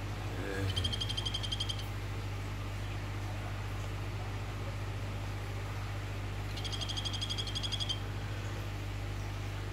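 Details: Orange Phyllobates vittatus, a Golfodulcean poison frog, male calling a female: two rapid pulsed buzzy trills, each about one second long, separated by a five-second pause, over a steady low mechanical hum.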